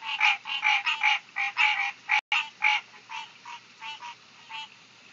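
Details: Summer tree frogs giving loud, rasping pulsed croaks in quick series, strongest at first, then softer and more spaced after a short break in the recording.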